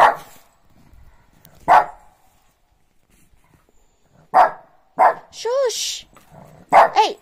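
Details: A Shih Tzu barks for no apparent reason in the morning: short, sharp, fairly high-pitched yaps at irregular intervals, ending in a quick double bark, with a whiny rising-and-falling cry and a person's voice between barks.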